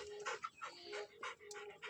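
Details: A pet Labrador Retriever panting at home: quick breathy bursts of rough noise repeated roughly every quarter second, with a steady faint hum underneath and a person's voice giving commands just after.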